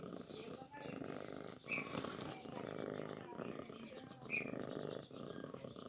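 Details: Newborn kitten feeding on milk: soft rumbling bursts about a second long, broken by brief pauses, with a couple of faint high squeaks over the low texture.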